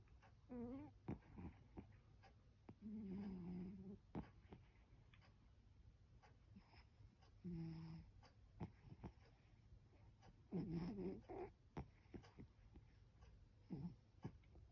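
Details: A sleeping domestic cat snoring indoors: low, buzzy, droning breaths in irregular bursts of about a second, some with a wavering whine on top, separated by quiet stretches with faint clicks and rustles.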